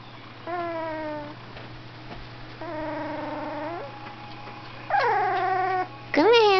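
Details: Golden retriever singing a little tune while its picture is taken: four drawn-out, whining, howl-like tones, the first two level, the last two louder with bending and rising pitch.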